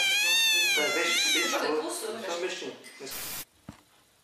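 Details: Pet cat gives a long, loud, wavering whine-like meow that wobbles in pitch for about two seconds, then fades under human talking and ends with a sharp hiss of noise and a click.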